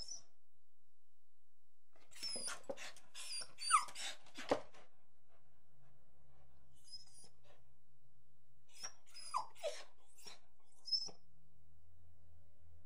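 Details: Angry dog barking in a quiet room: an irregular burst of harsh barks with a few sliding yelps, a long gap with a faint low hum, then another short volley of barks.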